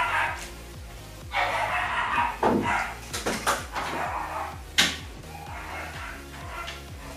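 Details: Loud barking from the household's pet dogs downstairs while reptile tanks are cleaned: a few sharp, noisy barks bunched near the middle, over a steady low humming background and some speech.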